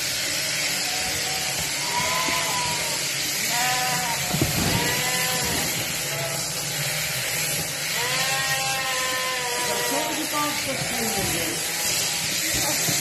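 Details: Cheviot sheep during shearing: about five wavering, harmonic-rich bleats come at irregular intervals, some drawn out and slightly falling, over a constant broad machine-like hiss.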